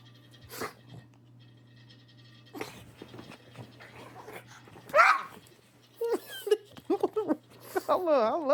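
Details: A pug, called a big fat boy, gives short barks, then wavering, yelping cries after barking with all his might, owner wondering if he hurt himself, while a man talks over them.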